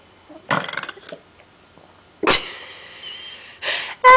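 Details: A female pet dog named Martini belches after drinking a lot of water indoors: a short, rough, pulsing burst, then a longer, steadier, tonal sound and further noisy bursts toward the end.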